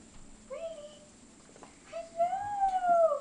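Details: A puppy named Brady, very excited to see a familiar person, gives thin whines indoors: one short whine, a pause, then a longer wavering whine rising and falling, with a faint electrical hum behind.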